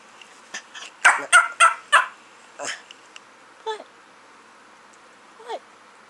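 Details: A roughly four-year-old, 8 lb male Chiweenie lets out a quick, gobbling "turkey bark" of four sharp yips, followed by a few softer, whiny single notes.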